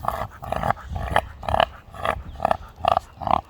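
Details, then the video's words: American Pit Bull Terrier whose voice a passer-by mistook for a pig, giving a rapid series of short, nasal, grunting squeals, roughly two per second, each a brief rough burst. "Funny dog reactions my hybrid American pitbull half dog half Pig"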